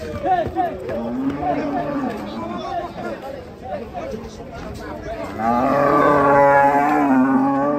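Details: Cattle being unloaded from a truck; scattered low lowing gives way to a long, loud, strained moo in the final seconds, with men's voices and laughter around.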